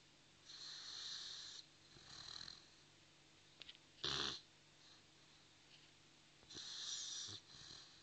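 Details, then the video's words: Brutus the Dogue de Bordeaux snores in his sleep: long airy rasping breaths, one short sharp snort in the middle, then more drawn-out hissing inhalations. "brutus dogue de bordeaux snoring"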